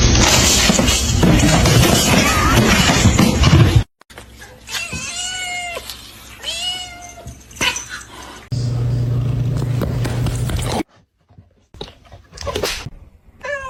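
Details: Domestic cat giving a run of short, arching meows that rise and fall in pitch, spaced closely together. Abrupt cuts between scenes bring bursts of loud broadband noise and some background music.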